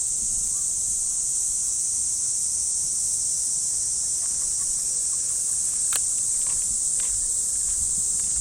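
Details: Steady, piercing cicada chorus from the trees of a Japanese park on an early summer morning, an even high hiss dominating, with only a few faint ticks and steps.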